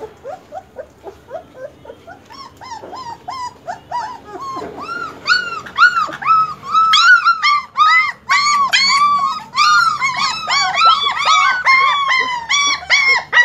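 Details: Chorus of German Shepherd puppies starting with soft, short whimpers that build into a dense, loud overlapping stream of high arched squeals and whines.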